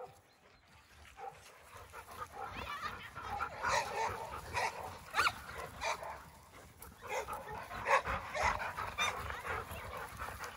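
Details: A Labrador Retriever, recorded at its owner's home, gives a string of short, irregular barks mixed with high whining yelps.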